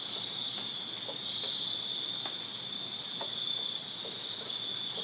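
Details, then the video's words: Backyard crickets on a Virginia summer night keep up a continuous shrill, ringing chorus at high pitch, with a few soft clicks and taps scattered through it. "Crickets Chirping Summer Night in Virginia"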